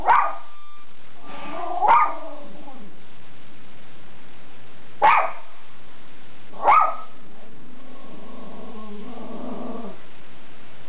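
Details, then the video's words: Schipperke Captain Jack Sparrow on guard at home: four abrupt barks spread over seven seconds, then a low, rumbling, growl-like sound with a wavering tone near the end. "Schipperke Guarding The House"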